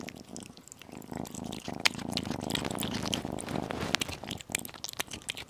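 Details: A tiny kitten eating chicken and beef purrs in a low, steady rumble through the middle seconds, overlaid by sharp wet chewing clicks and crunches at the start and end.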